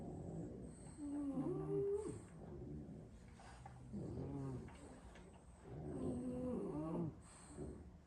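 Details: Six French Bulldog siblings napping after a long play session, sprawled asleep around a room; three loud rasping snores with wavering, whistle-like tones, each lasting about a second, separated by quieter breathing.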